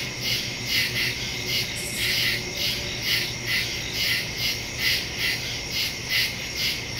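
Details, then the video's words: Night chorus of crickets in woodland, September 2023, captured with a phone and stereo mic: shrill continuous trilling that throbs in regular bursts roughly every second, with a faint low hum beneath. "Crickets in the woods at night"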